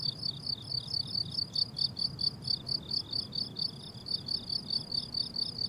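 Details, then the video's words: Crickets on a blooming summer meadow: a steady high chirping in pulsed bursts, roughly two per second, with a faint harmonic layer above and soft low rumble beneath. "Relaxing Cricket Sounds on a Summer Meadow"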